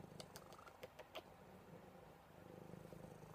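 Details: Low, rhythmic purring from Buddy, a cuddly male house cat held close, opening with several sharp clicks and rustles from handling before settling into an even, pulsing rumble.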